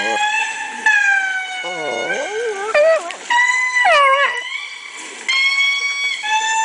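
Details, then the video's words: Bambi, a pet Chihuahua, howls in response to lemur calls playing from a laptop indoors. Long wavering tonal howls bend down and up, overlapping steady harmonic-rich lemur calls from the recording. "Chihuahua Howling at Lemurs Calling"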